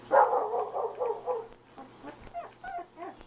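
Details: One-month-old red-nose pit bull puppies whine and yelp in a quick, wavering run, then give a few shorter high squeaks with small pauses between them; pit bull.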